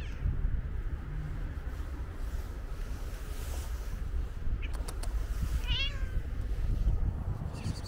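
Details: Calico cat with white paws lets out one brief wavering meow near the end, preceded by a few sharp clicks, all over a constant deep rumble of street noise.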